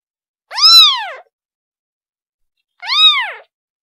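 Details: Kitten calling for its mother: two high, arched meows with rich harmonics, each rising then falling, separated by a pause of about a second and a half in an otherwise silent background.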